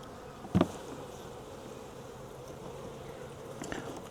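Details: Collected wild honey bee swarm, hived into a nuc box, humming in an even low drone, broken early by a loud double thump and later a lighter knock.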